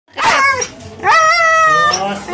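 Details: Husky dog making drawn-out, talking-like vocal sounds: three tonal, wavering howl-like utterances with rich harmonics, the middle one long and steady, separated by short pauses.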